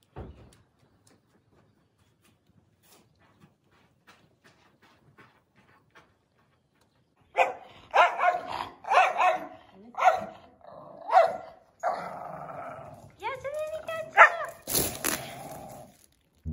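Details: Ghiaccio, a pet Samoyed, reacts to the invisible challenge: after a near-silent stretch, uneven bursts of barks and rising, whining yips break out, overlapping with a human voice talking to the dog.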